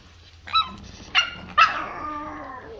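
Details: Pomeranian named Cookie, a pet dog left alone in a lion dance costume in cold weather, whining at its owners on their return home; three short high yelping whines, each sliding downward, with faint music behind.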